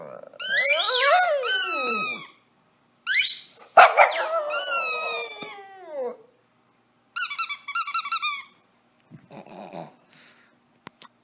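A Shih Tzu howls in long, wavering, sliding notes, answering the squeak of a toy.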